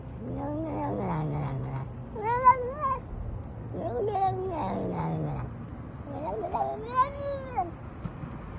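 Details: Domestic cat making a run of overlapping yowling meows, arched and wavering with strong harmonics, some rising to a higher squeal, over a low background hum.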